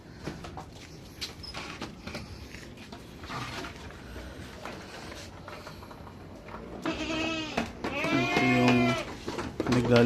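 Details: Pregnant goats on a backyard farm in the Philippines being let out at midday once the sun is hot and the grass dry; after speech and rustling, loud wavering harmonic bleats arrive near the end, repeated several times.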